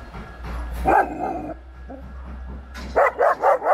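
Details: Stray dog being fed on a city street, giving a few short barks, a quick run of four sharp barks near the end, with a person hushing it and background street noise.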